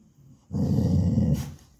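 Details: Pet dog in a Telugu-speaking household producing one deep, rumbling growl lasting about a second, ending in a short breathy hiss.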